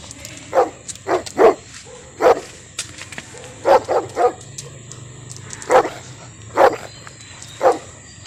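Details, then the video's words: German Shepherd and Phu Quoc dogs barking in a fight, irregular single and double barks roughly once a second, with a constant high-pitched whine and low hum underneath. "Chó becgie đại chiến phú quốc"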